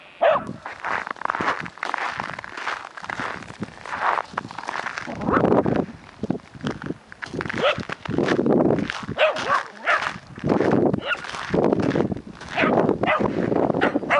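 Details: Several wirehaired dachshunds having fun outdoors after freezing rain, barking in dense, rapid bursts with sharp yips overlapping one another, with rustling and movement noise and brief human voices in the background.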